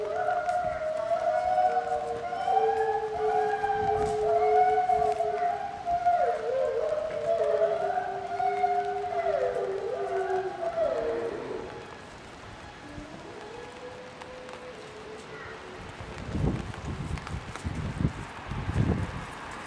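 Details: Two timber wolves howl together in long, overlapping, wavering tones that slide up and down, heard while a polar bear was being filmed on 20 April 2010.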